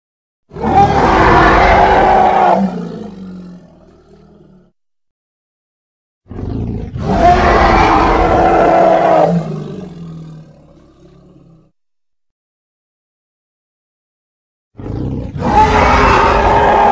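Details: Hippopotamus from Congo, sounds edited: three loud, harsh roaring bursts of two to five seconds each, broad and rasping with a strong low rumble, each fading into gurgling grunts before falling silent.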